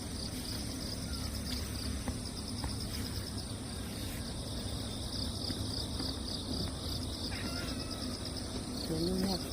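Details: After a typhoon passes, crickets call from the wet ground: a continuous high, pulsing trill of beaded chirps over low background rumble, with a short cat meow at the very end.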